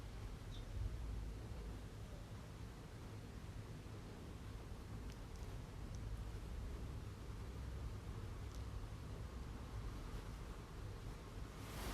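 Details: Steady low rumbling noise, like distant traffic, with a few faint clicks and no animal voice.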